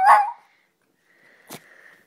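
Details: Female shoodle puppy Audrey, excited at being asked where mummy is, gives one loud clipped bark indoors, followed by silence and a faint click.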